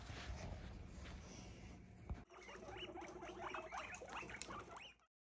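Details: Pet guinea pig in a cardboard box used as a hidey house or play box, giving a rapid run of short, squeaky chirps over about three seconds above a steady low hum, then falling quiet.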